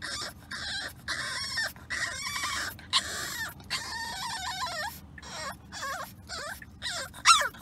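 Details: Remy, a French Bulldog puppy, whining through a car ride he did not enjoy: a run of high, wavering nasal whimpers that bend up and down, broken by short pauses, with a faint low rumble of the moving car underneath.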